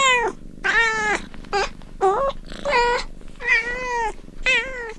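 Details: Kittens playing and meowing rapidly, with seven or so short, bright cries packed closely together. Some cries waver and some fall in pitch, over a faint low background rumble.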